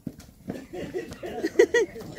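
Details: Calves in Campeche, Mexico, on 20 August 2022, while people help them: brief harmonic bleats near the end, two short rising-falling notes, amid Spanish voices urging help and some handling noise.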